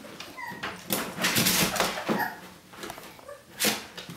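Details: Day-18 puppies trying to escape a kiddie pool to explore, giving brief high whimpers and squeaks among scrabbling and rustling noises indoors.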